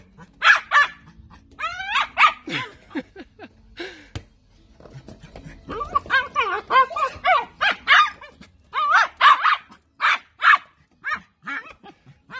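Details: Playful miniature dachshund barking in quick bursts of sharp, high yapping barks, a brief rumbling growl-like stretch in between, then a long run of loud repeated barks.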